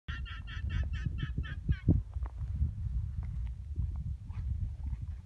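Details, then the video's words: Guanacos near the Draga Aurifera in Patagonia give a quick run of high, nasal bleating notes over a deep mechanical rumble. "Guanaco noise Draga Aurifera"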